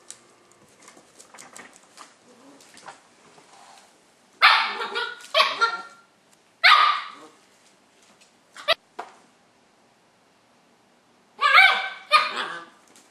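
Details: Nadia, a Löwchen puppy of 5 months, yaps at Tigger the cat to convince it to play; a pair of high barks, a sharp short yip, then another double bark after quiet, faint rustling between.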